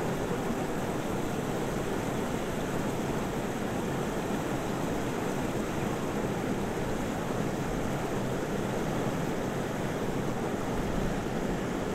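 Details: Steady, roaring wind and surf-like noise fills the whole recording, with no animal calls standing out.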